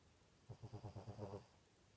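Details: Sleepy pet dog snoring in its sleep, a single breath of about eight quick, evenly spaced low rattling pulses lasting around one second, then quiet.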